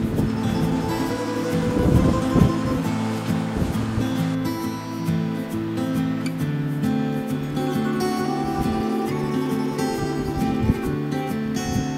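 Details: Steady instrumental music with sustained low tones fills the whole recording, and no animal calls come through.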